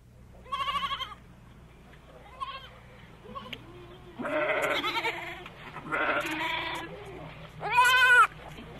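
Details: Goat bleating in a series of short, wavering, nasal cries with bright stacked overtones, some brief and thin, others longer and louder; the final bleat wavers strongly. A low steady hum runs underneath.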